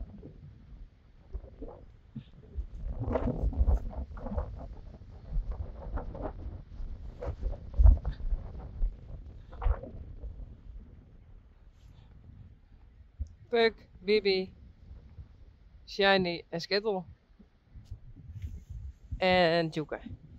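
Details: Friesian horse letting out three separate quavering whinnies near the end, each a short burst of rippling harmonics, after a stretch of low rumbling, thumps and handling noise.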